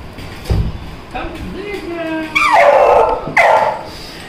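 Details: Little Labrador puppy Simba, hunting around for food, makes a rising and falling nasal whine, then two sharp barks about a second apart over a quiet room background.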